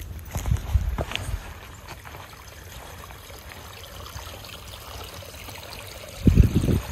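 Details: Outdoor rumble and wind buffeting, with a soft trickle and a few dull thuds in a quiet rural setting.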